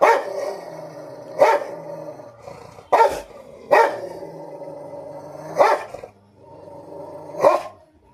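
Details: Rottweiler in a fight: a sustained snarling growl broken by about six sharp barks at irregular intervals.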